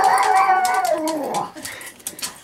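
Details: A pet dog wanting a treat gives a high, drawn-out whine that wavers and slides downward for about a second and a half, then fades out. A person speaks to it afterward.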